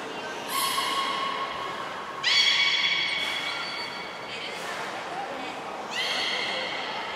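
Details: Belugas Gray, Nana and Nico training at Port of Nagoya Public Aquarium on 14 October 2019. Four separated squealing whistles with stacked overtones sound at roughly two-second intervals inside a reverberant hall.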